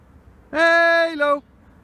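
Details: Samoyed named Halo, a 7.5-month-old male, out on a morning walk and play: a single drawn-out, steady-pitched whining howl lasting about a second. It dips slightly lower at the end, with a quiet outdoor background.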